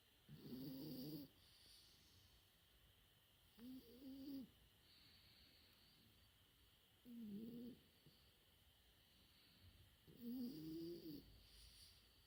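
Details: French Bulldog puppy, four months old, snoring in its sleep: four separate nasal, buzzy snores spaced about three seconds apart, each carrying a wavering whistle-like tone, with quiet breathing gaps between.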